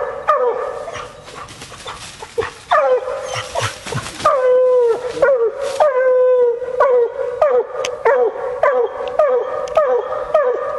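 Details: Female Bluetick Coonhound out coon hunting: a few long drawn bawls, then a quick run of short choppy barks, roughly two per second, with rustling brush noise in places.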